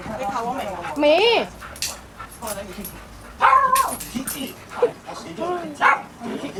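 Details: A very active pet dog gives two loud, rising-then-falling yelping barks near the start and middle, then shorter yaps, while a person talks in Cantonese throughout.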